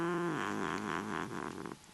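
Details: Neutered male Desert Lynx hybrid cat, a playful, chatty pet making wild sounds: a low harmonic moan that drops, then a quick series of wavering, warbling rises and falls, ending in a softer breathy trail.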